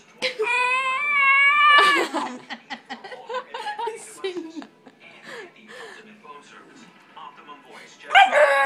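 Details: A 9-week-old Bull Terrier puppy, teething, gives a long, high, steady whine likened to dinosaur noises, with a person talking afterwards.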